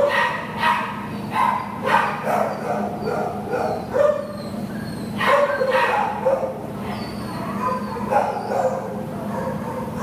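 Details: Shelter Labrador Retriever awaiting adoption, filmed 6/2/2015: clusters of loud, abrupt barks, several close together early on and again midway, over a steady low hum, with faint human speech at times.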